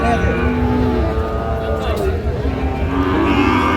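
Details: Sahiwal bull at a cattle market on 31 January 2025, giving a drawn-out, steady, low moo over the hum of the crowded market, with people talking and haggling over prices.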